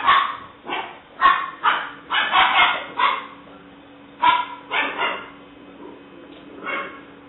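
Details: Seven-week-old female English Springer Spaniel puppy, black and white tricolor, named Alice, recorded 5/17/09; a series of short, sharp high yips and barks in bursts, some close together, with quieter gaps between.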